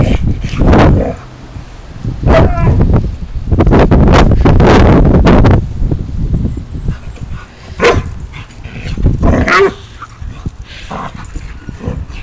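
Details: An Alaskan Malamute gives loud, irregular bursts of barking, whining yips and grumbles while apparently eating something.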